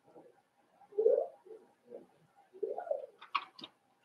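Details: Cavalier King Charles Spaniel puppies, five weeks old, in Daisy's puppy pen indoors: two mellow, moaning grunts a second and a half apart, small murmurs between, then a couple of sharp high squeaks at the close.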